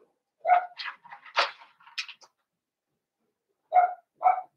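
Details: Indoor pen of five blenheim Cavalier King Charles Spaniel puppies born at New Year's. A burst of mixed yelps and squeaky whines is followed, after a pause, by two clear, clipped yaps.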